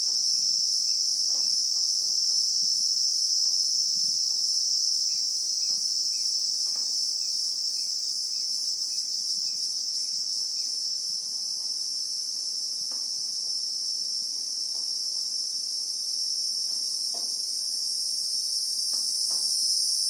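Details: Bushveld in South Africa, real-time recording of Christmas beetles (Anoplognathus): a piercing continuous hum that swells slightly near the end, over faint rapid pips repeating about four times a second and occasional dry clicks.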